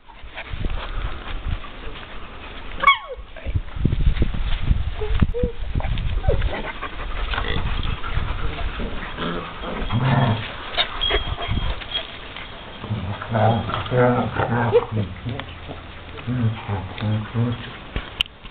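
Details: Seven-week-old German Shepherd puppies playing in Mexico, with low rumbling growls and scuffling throughout, a sharp squeal near the start, then a run of harmonic whines and yelps toward the end, under a background of human voices.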